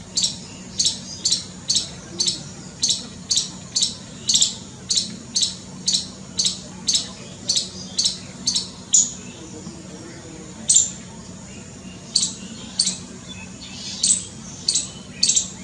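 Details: A scared squirrel chatters in rapid sharp bursts about twice a second for nine seconds, then the calls thin out into scattered single chips, with a faint hum throughout.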